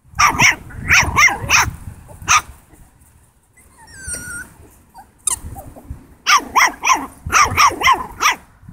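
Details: Seven-week-old Italian Greyhound puppy, facing a pig, lets out sharp high yappy barks in quick clusters of three to five, with a quiet gap mid-clip broken by a faint thin squeak before the barking resumes more densely.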